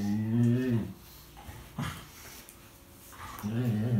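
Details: Tia, a chatty rescue dog, playing with fellow rescue dog Sandy in 2018: low, harmonic, moaning 'talk' that bends and wavers, one bout opening and another closing, with a quiet gap between and faint rustling.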